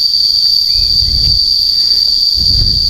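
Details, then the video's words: Cicadas heard very loudly while climbing Gunung Balak in Magelang, Indonesia, on an open mountain slope: one piercing, steady high-pitched drone held without a break, with faint low rumbles and footsteps beneath. "Suara tonggeretnya keras banget."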